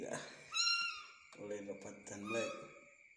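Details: Small kitten being hand-fed, giving two short, high, thin mews that rise and fall, mixed with a person talking to it indoors and a steady high electrical whine.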